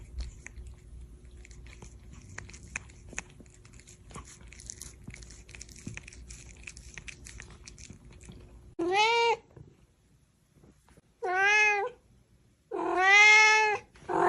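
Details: Cat and kitten meowing: after several seconds of soft chewing and crunching noises, three loud, drawn-out meows follow, each wavering and slightly falling, the last the longest.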